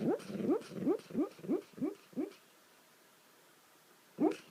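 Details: Dog making funny sounds while sleeping: a quick series of soft, low, upward-sliding whimpers or yips, about seven in two and a half seconds, then a pause and one more squeak.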